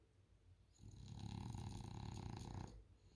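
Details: French Bulldog snoring while asleep on a couch, one long, loud, rattling inhale of nearly two seconds, deep and throaty with a fluttering texture and a breathy hiss.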